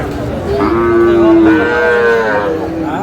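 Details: Sahiwal bull calf offered at a Madaripur cattle market on 3 April: one long, clear moo that holds level and then steps up in pitch before fading, with market chatter behind.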